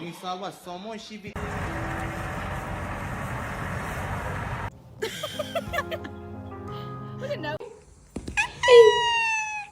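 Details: Pet cat in a funny cat compilation giving a loud, drawn-out meow that falls in pitch near the end, after stretches of speech and background music.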